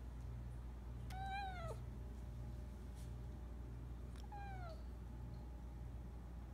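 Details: Female Siberian cat meowing for food in the morning while being teased with her meal: two drawn-out meows, each sliding downward at the end, about three seconds apart, over a low steady hum.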